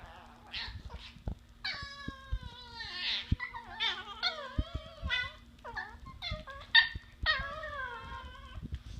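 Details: Two Chihuahua puppies at play give high, wavering whines and sharp yelps, overlapping in quick bursts.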